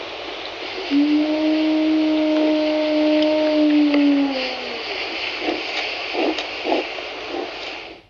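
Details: An 11-year-old, one-eyed, battle-worn female gray wolf, known as 907, in Yellowstone howls from rocks beneath a tall fir, one long, low, steady note sagging at the end, calling to her pack over a mile away; she kept this up for an hour.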